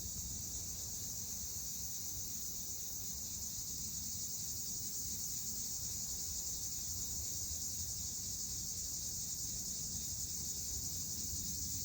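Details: Summer cicadas in a continuous, steady high-pitched buzzing drone that never breaks, with a dense band of sound on top and a low rumble of background noise underneath.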